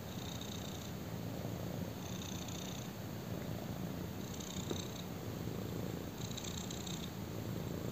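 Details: Purring black kitten lying on a person; continuous low, even rumble, breath phases less distinct, soft airy higher bands appearing at intervals of roughly two seconds.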